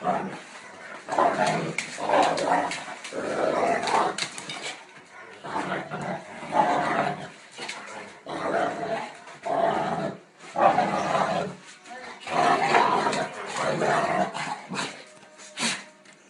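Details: Pair of Tosa dogs from the Netherlands reasserting their status, as they do daily: repeated harsh growls and snarls in bursts of one to two seconds, broken by brief quiet gaps.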